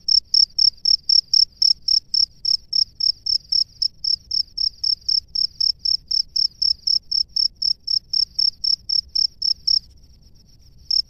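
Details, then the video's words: Male cricket calling females from its burrow, giving a fast, regular train of shrill chirps, close to four per second, which stops near the end before one last chirp. "SUARA JANGKRIK JANTAN DI SARANGNYA MEMANGGIL JANGKRIK BETINA"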